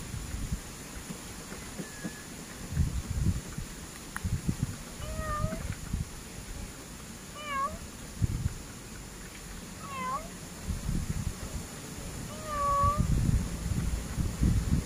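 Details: Grey pet cat mewing repeatedly, five or six short harmonic meows spaced a few seconds apart, some rising then falling, over steady low indoor rumble and handling noise.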